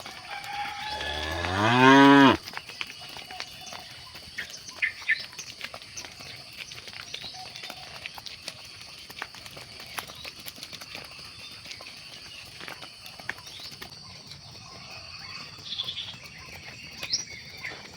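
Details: Cattle moo during evening herding at sunset: one loud, low, rising moo lasting about a second and a half near the start, followed by quiet farm ambience with a steady high insect-like hiss and scattered faint clicks.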